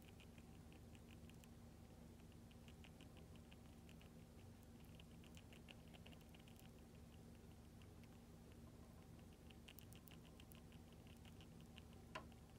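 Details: A hamster eats a lactic-acid-bacteria paste treat eagerly and noisily, with quick soft ticking and smacking sounds in short rapid bursts.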